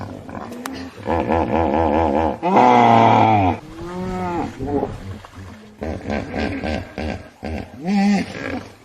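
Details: A hippopotamus gives loud, deep honking grunts in a rhythmic, chuckling series.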